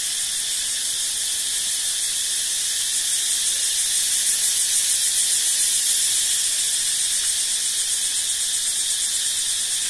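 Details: A dense, shrill insect chorus in a forest buzzes continuously, very high-pitched and unbroken, with a faint rapid pulse of several beats a second running through it.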